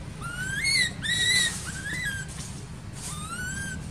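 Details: Baby monkey in an archaeological park, crying while its mother ignores it: a handful of clear, arching whistled cries, rising then falling, spaced unevenly over a low background rumble.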